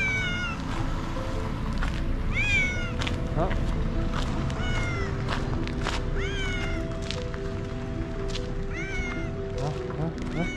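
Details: Stray tiger cat calling to a person for food without leaving its place; loud, repeated falling meows come in quick succession over steady background music.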